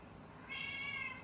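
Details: Baby kitten with a sore eye that receives daily eye drops gives a single drawn-out, high, tonal meow that starts suddenly and holds steady for nearly a second indoors.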